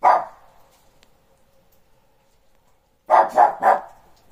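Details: During playtime, a Shih Tzu barks at the neighbours' dogs with a single sharp bark, then a quick burst of three barks.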